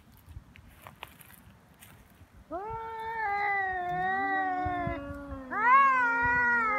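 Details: Two feral cats fighting in Japan on Cat Day, 22 February, neither backing down from the other's threats. After quiet, two wailing voices overlap, one higher and rising, the other lower and steadier, swelling louder toward the end.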